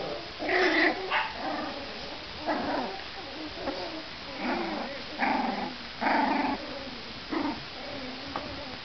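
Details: Harlequin Great Dane puppy Jubilee play-fighting with Loki, a Papillon puppy one week younger; short rough growly barks and grumbles come in bursts about every second, with quieter scuffling between them.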